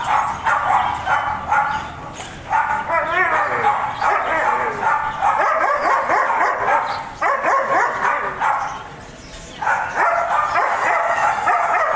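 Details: German Shepherd barking: dense, overlapping rapid barks in bursts with short pauses around 2.5, 7 and 9.5 seconds, some whiny rising and falling yelps among them.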